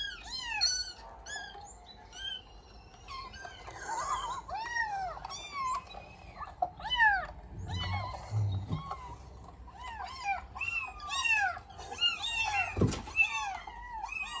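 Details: House cat reacting to a meow sound played from the internet; a long series of arched meows, varied in length and pitch, with a low rumble midway and a sharp knock near the end.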